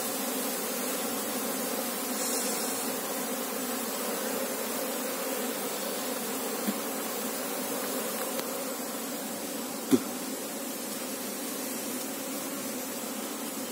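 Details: Asian honey bees (Apis cerana) humming steadily during a search for the colony's queen; a dense, even droning buzz continues throughout, with a single sharp click near the tenth second.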